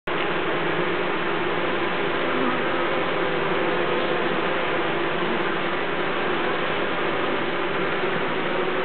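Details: Honeybees air-conditioning their hive by fanning, a dense, steady buzzing hum of many insects that holds an even loudness throughout, with no pauses or other sounds standing out.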